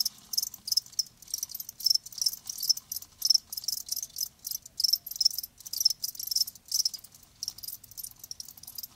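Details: Live crickets keep up a steady stream of sharp, high chirps, two or three a second, slightly irregular in spacing and loudness, with near silence beneath.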